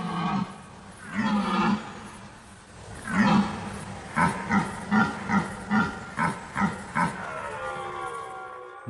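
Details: Red deer stags roaring in the autumn rut as leaves turn and fall, harsh voices echoing through the forest; two long rough roars are followed by a run of about eight short grunting bellows at a steady beat.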